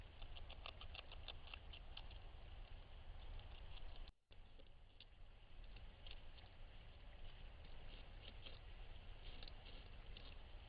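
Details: A pair of beavers gnaw a cottonwood tree at night in Weld County, Colorado, on a trail camera: quick, irregular scraping bites in bursts over a steady low rumble, with a short silent gap near four seconds.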